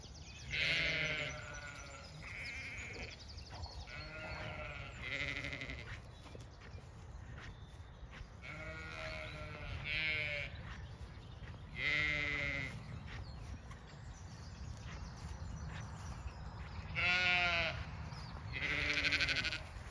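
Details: Lambs bleating at dawn on a regenerative farm in County Kilkenny, Ireland: loud, wavering harmonic bleats in bursts every few seconds, several overlapping, with a busy dawn chorus of chirping, whistling birds throughout.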